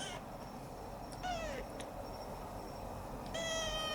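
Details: Former stray Siamese cat kept as a family pet makes two short meows, one sliding down in pitch and one held steady, separated by quiet room noise with faint ticks.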